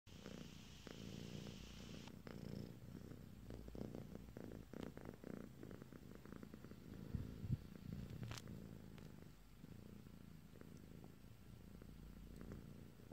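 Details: Domestic cat dozing off, a female, purring softly and steadily with low rumbling pulses, a faint high tone in the opening two seconds and a few light clicks.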